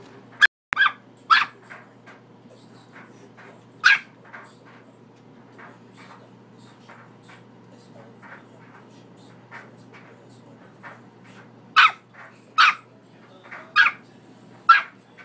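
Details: Bully puppy barking at home to wake its owner: sharp single barks scattered through the recording, in a tight cluster near the start and a run of four toward the end, with faint ticking between them.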